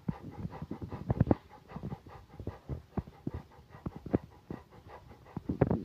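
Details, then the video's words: A big male Rottweiler panting with tongue out, rapid rough breaths in quick uneven bursts, low and breathy with a few louder huffs. "big boy rottweiler tongue"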